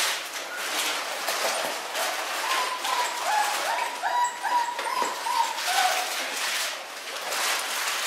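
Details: Newborn miniature schnauzer puppies born on New Year's Day give a run of short, thin, high squeaks in quick succession mid-clip, over steady rustling and broadband shuffling noise indoors.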